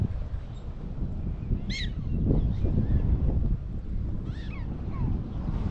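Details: Black-tailed prairie dogs in a large colony at the Badlands Trading Post, South Dakota: two brief, high, harmonic-rich chirps, one near two seconds and another just past four, rising out of steady heavy wind rumble.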